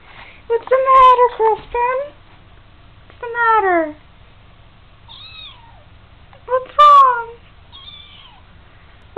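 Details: Young kitten temporarily staying indoors at a house while a new home is sought: several loud, drawn-out meows with falling, arched pitch, in three bursts, plus a softer, higher, wavering squeak between them. A quiet room hum runs underneath.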